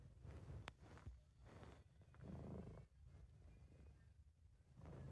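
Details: Relaxed British Shorthair cat purring in a home recording, a steady low rumble rising and falling with each breath, with one sharp click near the start.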